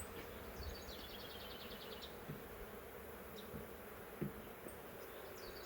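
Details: A huge honey bee swarm caught in a swarm trap in the woods, from a wild hive that has lived there three years, heard while frames are lifted out: a dense, steady low hum with a few high bird chirps overhead.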